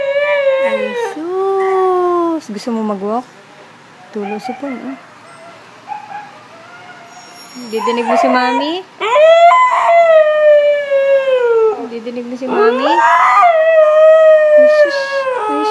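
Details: Siberian Husky giving repeated howls and short whining yelps: long sliding tones that rise and fall. A woman speaks softly to the dog between them, and the loudest sustained howling comes near the end.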